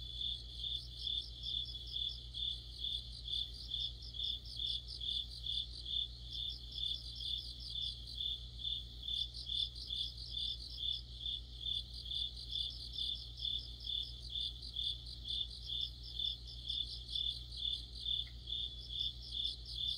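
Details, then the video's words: Autumn insect orchestra led by crickets beside a streetlight, chirping in an even pulse about twice per second, with intermittent higher trilling bursts from other callers and a steady low-frequency hum throughout. "가을의 한 복판 곤충들의 합창"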